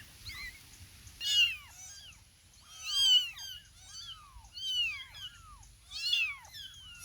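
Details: Small kittens meowing together, loud, high arched mews in clustered bursts roughly every one to one and a half seconds, several voices overlapping, over a quiet background with a faint steady high tone.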